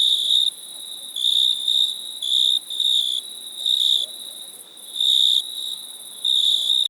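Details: High cricket trills in irregular bursts, some short and some longer, separated by brief pauses over a constant thin high-pitched hum.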